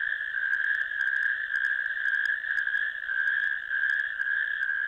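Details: Several natterjack toads in a ditch, recorded by camera on 1 May 2024, give a dense, unbroken rattling trill that swells and dips slightly in loudness over five seconds.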